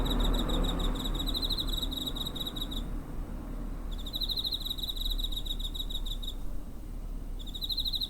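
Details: Cricket chirping close to a home in September 2023, recorded on a TASCAM DR-05: three bursts of rapid high-pitched pulses, each two to three seconds long and separated by one-second gaps, above a constant low-frequency drone.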